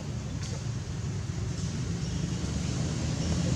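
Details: Steady low rumble of vehicle or engine noise with no animal calls.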